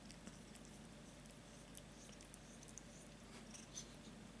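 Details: Domestic cat purring softly indoors, a steady low rumbling hum that continues without a break, with faint scattered high clicks and rustles over a quiet room background.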